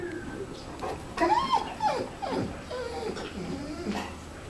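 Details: Clingy Labrador Retriever indoors giving several short, high whimpers that slide downward, mixed with a woman speaking softly to it.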